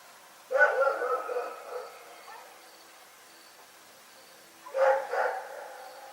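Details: Rex, a dog, barking in the night: a short burst of two or three rough barks at the start, several seconds of quiet, then another quick double bark near the end.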